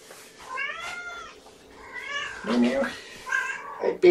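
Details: Domestic cat meowing indoors at breakfast time with a mother cat and her five kittens, born April 14, recorded May 7, 2018; two drawn-out harmonic meows, the first long and gently wavering, the second shorter, with a person talking and handling noises.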